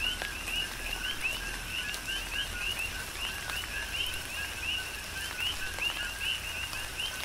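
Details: Many coqui frogs serenading through a tropical rain shower on the Big Island of Hawaii, their clear two-note calls, low note then rising whistle, overlapping steadily, backed by rain hiss and sharp raindrop ticks.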